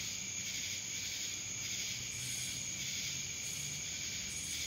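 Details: A chorus of cicadas recorded in Dallas, Georgia, making an unbroken shrill hiss-like buzz with gentle rhythmic surges, over a quiet low rumble.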